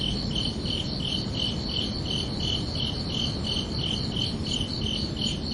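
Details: Chirping crickets under a peaceful night sky in summer, giving clear, rhythmic high pulses about three per second, with low steady noise beneath.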